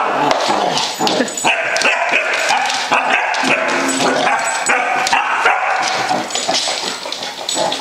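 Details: A Basset Hound puppy bravely confronting a "monster" gives rapid, high yapping barks mixed with whimpers.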